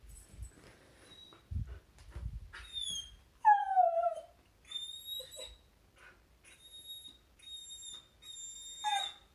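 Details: Luna the Samoyed whines indoors as her best dog friend passes the house before playtime. High, steady kettle-like whistles alternate with one louder whimper that slides downward, then more piping tones follow in uneven bursts.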